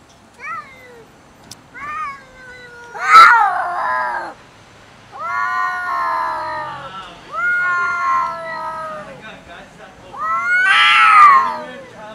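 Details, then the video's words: Angry domestic cats arguing over food; loud harmonic yowls rising and falling in long wavering wails, broken by harsh screeching bursts near the start and end, with short pauses between outbursts. "Angry cats fight and argue about food LOUD"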